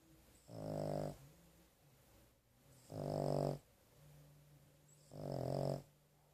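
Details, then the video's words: After a rough day at the vet, Carley the dog sleeps and snores; three throaty, vibrating snores spaced about two seconds apart, with soft low breathing in the gaps. "Carley Snoring"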